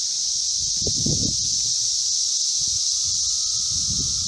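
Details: Massed Magicicada periodical cicadas, Brood V, at a street intersection in Logan, Ohio: continuous high-pitched sizzling drone, evenly loud throughout, with low muffled rumbles early in the clip and again near its end.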